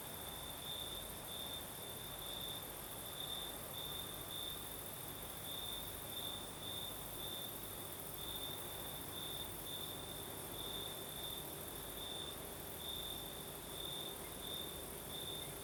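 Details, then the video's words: In the Crimean south at night, crickets sing a sustained high-pitched trill, pulsing in brighter bursts roughly once a second, layered over an even higher steady hiss and soft breeze, with a faint low hum beneath. "Звук ночи. Юг. Крым. Сверчки поют. Ночной бриз."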